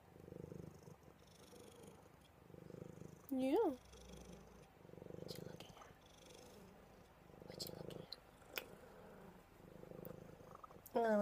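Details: Domestic cat snuggled up for cuddles, giving a soft, continuous rumbling purr that swells and fades in rhythmic pulses about every second, with two brief, louder human vocal sounds breaking in.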